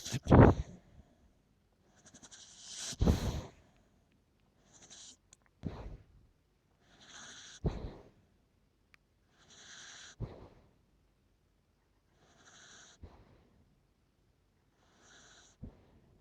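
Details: Sleeping Shetland Sheepdog snoring: raspy, airy breaths with a hissing whistle, each under a second long, returning every two to three seconds, with a louder snort at the start.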